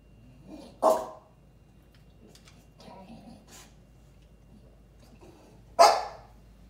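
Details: Two American Bully dogs getting ready for treats; two sharp, loud single barks about five seconds apart, with soft murmuring and faint rustling in a quiet room between them.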